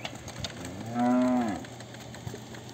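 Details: Girolando heifer, one of a group of pregnant 3/4, 5/8 and 7/8 crosses about seven months along, Fervedouro, Minas Gerais, Brazil: a single short, arching moo lasting under a second, with faint clicks and a steady low hum.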